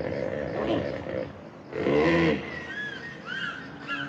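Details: A hippopotamus (Hippopotamus amphibius) gives deep, rumbling grunts rising to a brief, honking bellow.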